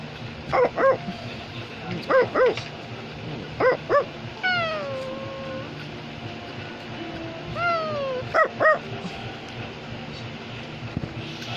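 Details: Pet Australian Labradoodle barks in quick pairs of sharp yaps, broken by high drawn-out whining tones that slide downward, with quiet room noise between bursts.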